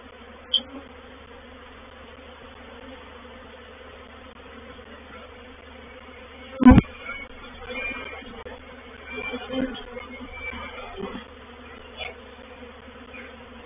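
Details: Honey bee reproductive swarm moving into a bait hive (swarm trap) at Painted Peacock Manor, 04/07/21; a low steady hum with stacked tones, broken by a sharp knock midway and a few brief scattered noises.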